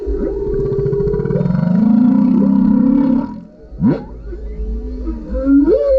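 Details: Male humpback whale singing beneath a kayak, captured on a GoPro: long moaning tones, a low droning groan sliding upward, then sharp sweeping whoops and rising cries with pulsed harmonic texture.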